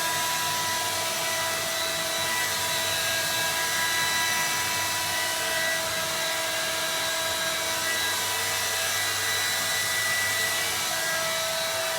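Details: Steady, loud mechanical whirring like a hair dryer fills the recording, with constant broadband hiss and faint tonal hum and no animal calls.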